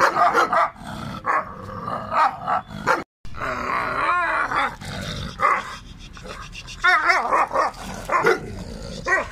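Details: Bully Gultair dog (Canis familiaris), barks and whines.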